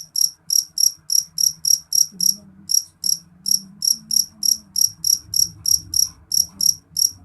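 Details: Jeliteng cricket chirping loudly and shrilly: sharp, high pulsed chirps repeated about three times a second in a steady run, with a brief gap near two seconds and a faint low hum beneath.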